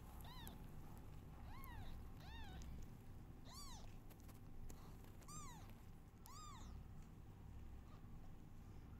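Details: Newborn kittens call out loudly while their mother is not feeling well. About eight sharp meows, each rising then falling, come in quick succession over a constant low hum.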